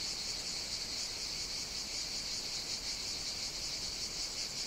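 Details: Cicadas singing on the Greek island of Evia in the Mediterranean on a hot summer day: a dense, continuous high-pitched buzzing drone with slight uneven pulsing, and no other clear sounds.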